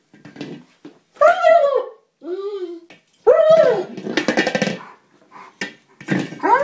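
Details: German Shepherd getting upset because he cannot puncture a small buoy he is attacking: loud, drawn-out whining yelps that rise and fall, interspersed with harsher barking bursts and brief pauses.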